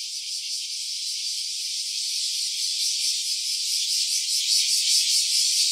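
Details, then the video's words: Cicada voice in stereo, recorded on an OPPO Reno A: a loud, continuous shrill buzz with a rhythmic throbbing pulse about two to three times per second, growing slightly stronger toward the end. "Cicada's voice"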